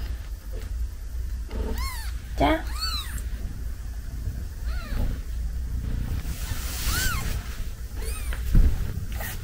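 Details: Newborn kitten, five days old, probably Munchkin, mewing indoors: a series of short, high, arched mews, several in quick succession, with soft background noise and brief human speech.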